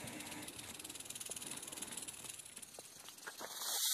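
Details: Western diamondback rattlesnake giving a fast, pulsing dry buzz, about four beats a second, fairly uneven, with a sudden loud noise at the very end.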